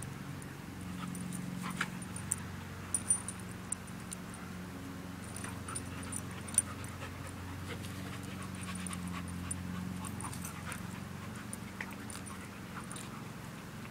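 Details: Two playing dogs, an Australian Shepherd mix and a Belgian Malinois mix; low, steady rapid panting breaths with a few sharp clicks and taps throughout.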